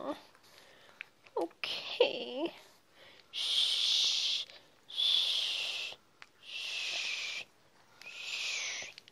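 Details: Small white Chihuahua in a blue and black vest, carried by its owner, screaming: four long, harsh, high-pitched screams of about a second and a half each, preceded by short whines and a soothing voice.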